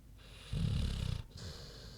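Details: Snoozing pig Queenie lets out one loud, coarse snore lasting under a second, a gravelly rumbling inhale followed by a gentler, murmuring exhale.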